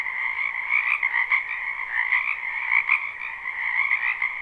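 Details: Many frogs calling in a spring wetland, a dense, unbroken chorus of trilling croaks in two bright bands, with pulsing swells and no other sounds.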